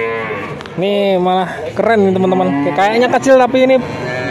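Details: Male calves among a group of 19 bought in Grabag, Magelang, Indonesia, lowing together: several overlapping moos, some deeper and steady, others rising and wavering, crowding the recording.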